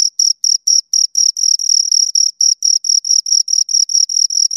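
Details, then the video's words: Pair of crickets producing rhythmic high chirps by stridulation, short pulses that start spaced and then merge into longer, near-continuous bursts toward the middle, against a silent background. "Two Crickets Chirp Sounds"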